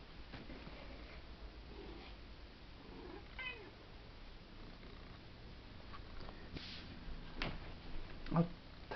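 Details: Indoor house cat Chevy lets out a brief, rising-then-falling meow about a third of the way in, amid scattered taps, knocks and steady low background hum.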